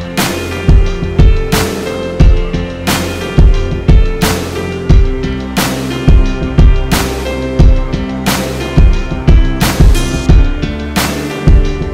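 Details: Loud rock music with a heavy, regular drum beat and bass fills the whole stretch, with no animal voice heard.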